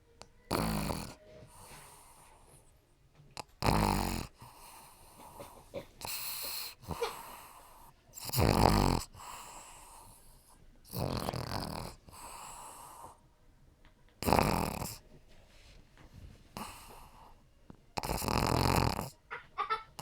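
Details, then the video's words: Johnny the pug puppy snoring in his sleep, giving loud, wheezing, rattling snores about every two to three seconds, with whistly snuffling breaths between the louder ones. "My puppy Pug Johnny snoring"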